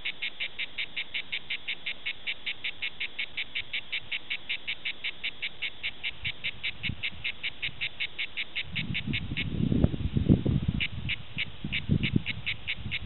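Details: A grey cicada (Cicada orni) sings in Prades in southern France, a steady string of short, raspy buzzing pulses, several each second.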